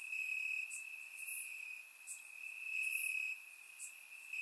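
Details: Nighttime crickets in Bulgaria on a warm summer evening, captured by surround microphone: a constant piercing trill, with short higher chirps breaking in about once a second.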